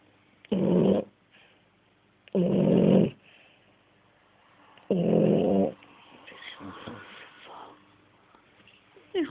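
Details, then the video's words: Sleeping French Bulldog gives three heavy, grating snores about two seconds apart, each near a second long, then softer, broken breathing noises. "qui ronfle (Bouledogue Français)"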